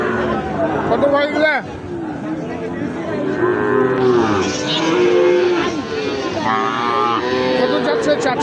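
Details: Sahiwal bull calves being bought and sold at Ambari weekly cattle market: a few drawn-out, wavering moos in the second half, buried in constant crowd talk and bargaining voices.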